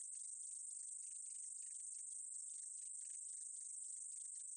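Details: Steady, thin, high buzz from a meadow katydid, unbroken throughout, overlaid with fine irregular clicking pulses and no other sounds.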